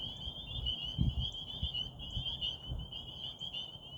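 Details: At a Rehoboth frog pond by night under a waxing gibbous moon, a steady high trilling chorus continues while loud low thumps and rumbles, like wind or handling, break in repeatedly.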